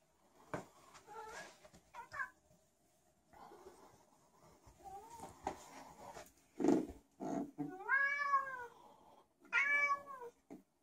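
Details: Special needs domestic cat wandering about indoors meowing for no apparent reason: several drawn-out, wavering meows with rising then falling pitch, the loudest near the end, separated by short pauses and soft rustling.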